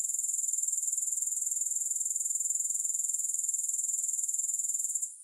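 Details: Shrill, rapidly ticking grasshopper buzz held at one high pitch, fading out in the final half-second; no music.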